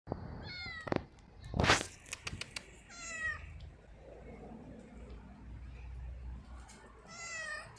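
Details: Domestic cat giving short, high meows with wavering harmonics, three calls spread over about eight seconds, mixed with clicks and thumps of movement indoors.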